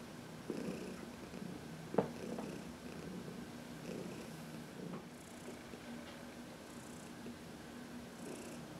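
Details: Purring by Heidi, an elderly cat from the Humane Society of New York City, relaxing under a massage in the sun, March 2021: a soft continuous rumble pulsing with each breath, with a brief tap near the start.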